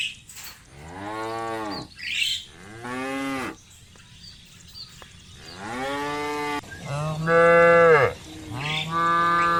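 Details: Cows driven by a shepherd through muddy rice fields toward a livestock pen, giving a series of drawn-out, harmonic moos, some rising and falling, others long and steady, spaced a second or two apart, with quiet gaps between calls.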